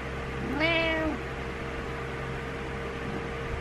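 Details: A single drawn-out meow from Butters the cat, frustrated and trying to rouse its owner in the morning; the call rises briefly then holds steady for half a second, followed by quiet room hum.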